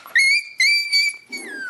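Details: High whistled whining from Shiba Inu puppies (white sisters born 27 December, black pup Uchuu born 3 January). Two long, level, piercing cries, the second trailing off lower, then a brief quieter rustle.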